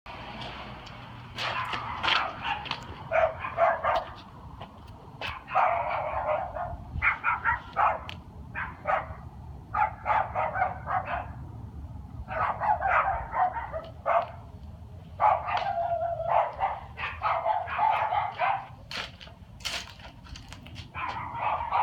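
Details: A dog barking at night, recorded 13 February 2016. Rapid, sharp barks come in irregular bursts, several per second, with short pauses between runs, over a low steady background rumble.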